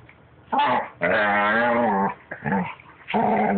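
A puppy gives a run of drawn-out, wavering whines and short grumbling yips.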